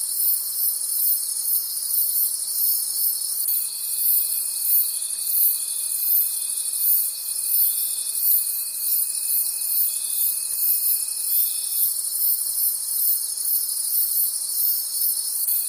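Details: Night-time forest crickets in a shrill, unbroken chorus, many insects trilling high and fast with rapid pulsing; a steady thin tone drops in partway through and fades out again.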